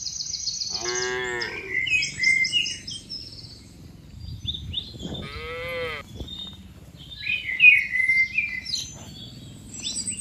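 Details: Tame cattle moving in a herd from open green pasture to their pen; two short, higher-pitched moos about four seconds apart, with birds chirping and twittering around them.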